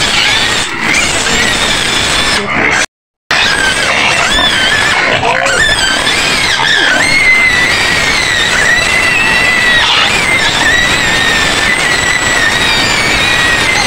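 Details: Shrill, continuous screaming of a white pig penned on the edge of Medan, Indonesia; high strained squeals run on and on, cut by one short gap of silence early on.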